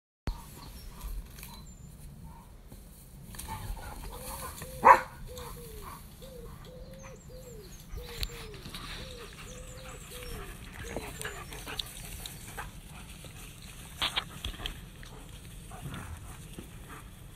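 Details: German Shepherds in a pack, a dog's voice repeating short rising-falling howls or yelps about every half second for several seconds, against a low steady background with a sharp knock and faint higher chirps.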